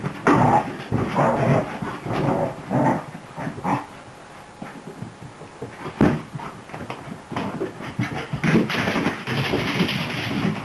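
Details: Beagle mix puppy, new to the household, playing boisterously: choppy growls and yelps in irregular bursts roughly once a second, a quieter stretch midway, then sharper clicks and scuffles.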